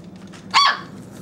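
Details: Hungry four-week-old Great Pyrenees puppy from a litter of eight, waiting indoors for food warming in a microwave; one short, high yelping bark, with a person's voice calling the puppies just before and after.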